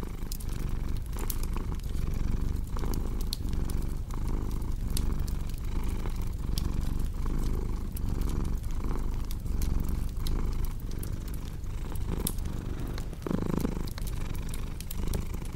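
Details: A cat's low, rolling purr pulses evenly through the whole stretch, each breath cycle marked by a soft dip, while a crackling fireplace adds scattered snaps and pops on top.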